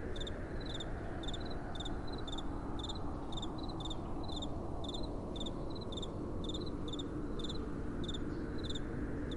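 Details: Crickets after dark repeat thin, bright chirps in steady pairs, some overlapping at neighbouring pitches, over the dull, even roar of soft wind.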